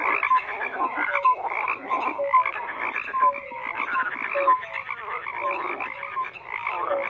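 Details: A thick frog chorus of rapid croaks and clicking pulses, with short whistle-like tonal notes recurring every second or so over the continuous din.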